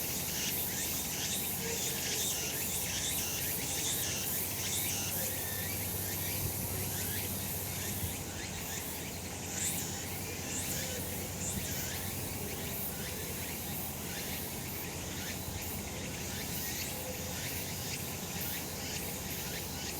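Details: Summer mountain in the sun, cicadas singing together: continuous high-pitched rasping drone with rhythmic surges roughly every second, thickening after the first few seconds, and faint low rumble beneath.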